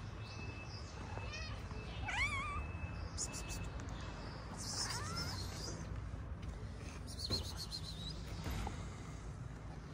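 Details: Street cat in Morocco, a stray that will not let a calico cat approach; several short rising-falling meows, the clearest near two and five seconds, over low traffic-like rumble and a person's quiet voice.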